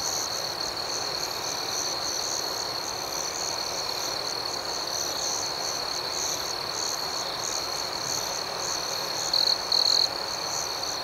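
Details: Crickets at night: a steady high-pitched trill runs throughout, with softer, faster pulsing chirps above it. Near the end, two brief louder bursts stand out over the even insect chorus. No other sounds.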